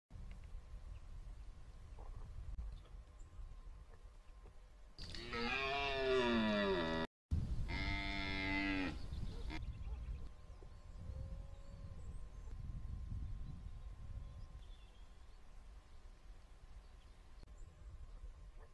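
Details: A red deer stag on Exmoor gives a loud, hoarse bellow in two bursts during the 2022 rut.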